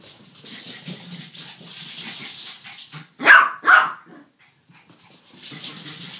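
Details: A Yorkshire Terrier and a King Charles Spaniel together, one of them barking: two sharp, high barks in quick succession midway, with low scuffling and rustling around them.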